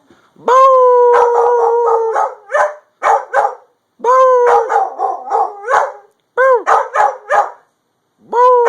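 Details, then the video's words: Puppy howling at an ice cream truck: steady drawn-out harmonic howls that break into rapid choppy yelps and barks, repeated in several loud bouts. "Puppy howling at ice cream truck"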